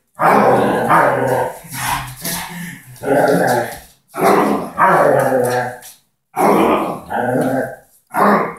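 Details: Doberman growling while playing tug over a ball with a person indoors: harsh, rumbling growl bouts of one to two seconds, broken by short pauses.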